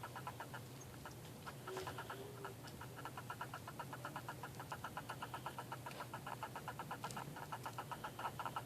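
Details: Purple pincher hermit crab chirping during a shell fight: rapid trains of short clicky pulses, about four per second, uneven in spacing, over a low steady hum.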